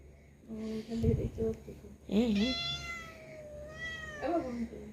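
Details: Angry domestic cat, indoors, described as cross and quarrelling, gives two strained, wavering meows with rich overtones, the second shorter. A woman speaks in Bengali just before them.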